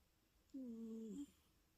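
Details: Louis, a sleeping British Shorthair cat, indoors, gives a single snore: a steady, tonal, whistling hum lasting under a second, low and even, then quiet room hiss.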